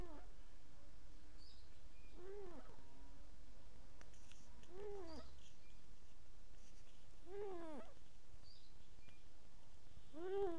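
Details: Domestic cat snoring in its sleep, giving four arched, squeaky wheezes about two to three seconds apart, each briefly rising and dropping in pitch, with quiet low hum between breaths.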